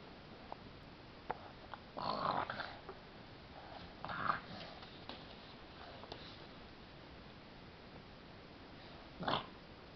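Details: French Bulldog puppy, 16 weeks old, discovering mice: quiet room with soft clicks and sniffing, broken by gruff, rasping bursts near two and four seconds, and a sharper short bark-like burst near the end.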